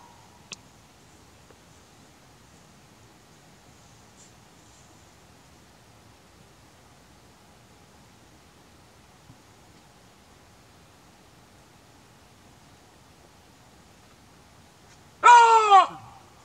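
Quiet background hiss fills most of the recording before a chacma baboon gives one abrupt, loud call. The call is harsh and rich in overtones, bending briefly in pitch and lasting about a second.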